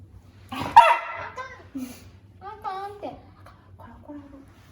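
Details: Pet dog disliking the squeaking sound of a tablet mouse game for cats; one sharp bark, then a string of short, nasal, talking-like whines that rise and fall.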